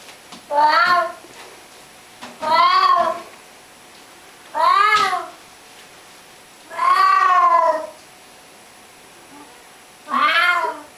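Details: Pet cat meowing in conversation with its owner indoors: five drawn-out, tonal meows, some rising then falling, spaced about two seconds apart over quiet room hiss.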